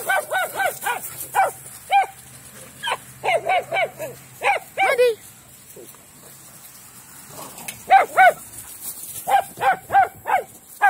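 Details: Playful dogs romping in a big yard let out rapid bursts of yappy barks, some rising into brief yelps, in two lively clusters split by a calmer stretch with a faint low hum.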